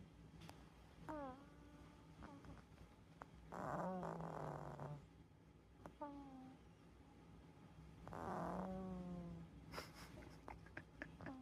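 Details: Calico cat snoring indoors, with two long, rasping, rough breaths about four and a half seconds apart and short voiced sounds between them.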